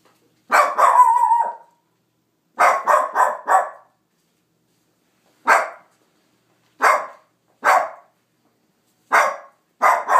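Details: House dog barking at nothing, opening with a drawn-out bark that bends into a whine, then a quick run of four barks and several evenly spaced single barks about a second apart.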